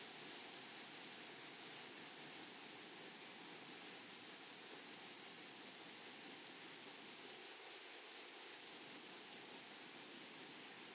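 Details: Meadow grasshoppers stridulating in a prairie setting, a crisp high rasp repeated in even bursts roughly three to four per second, continuous with no other clear sounds.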